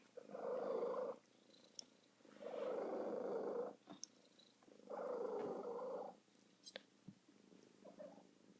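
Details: A female domestic cat, happy, gives three long, low, rolling coos about a second each, spaced two seconds apart, much like a pigeon's cooing, then a softer fourth.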